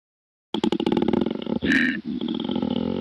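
A koala gives a deep, rasping bellow of rapid snoring pulses that runs into a drawn-out growl.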